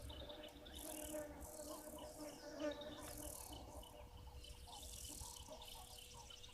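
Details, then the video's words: Bees give a steady, low droning buzz under bursts of shrill, high insect trilling, with soft breeze and distant bird calls, by a water's edge with hippos nearby, on 29 March 2023. "it sounds like some bees as well"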